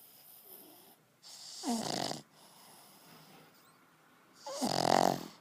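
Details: Sleeping pug snoring: two loud, rough, rasping snores about three seconds apart, each roughly half a second to a second long, with softer breathing between them indoors.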